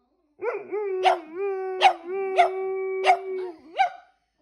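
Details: Percy, a black and white Boston Terrier, and Bear, a German Shepherd-Black Lab mix, are coaxed into howling. A sustained mid-pitched wail carries through it, broken by five sharp yelps spaced about a second apart.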